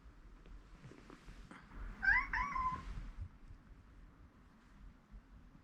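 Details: Indoors, a rescued cat anxious over its overslept owner gives a single short, wavering meow in the middle of a quiet room background.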